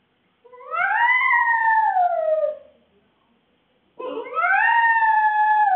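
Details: Shih Tzu poodle cross dog left home alone, recorded on CCTV: a drawn-out howl arching up and gently falling, a pause, then a second howl starting abruptly and holding a steady, slightly rising pitch.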